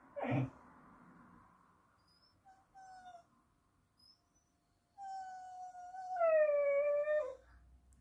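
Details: Whippet having a crazy moment indoors, producing a long wavering tonal howl that steadies, then climbs into a louder, harmonically rich wail near the end, after a brief sharp sound at the start.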